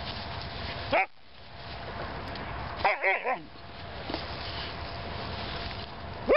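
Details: Greater Swiss Mountain Dog puppy, 18 weeks old, excited on a patch of soft St Augustine grass; sharp tonal yips with wavering pitch, a single one, then a quick triple burst, then another single yip, over steady background hiss.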